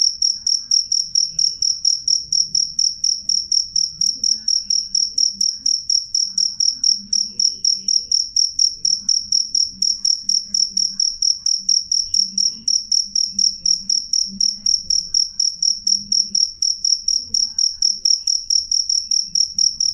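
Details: Cricket singing clearly and loudly, a long unbroken train of sharp high chirps spaced evenly about twice each second, with a soft low background rumble.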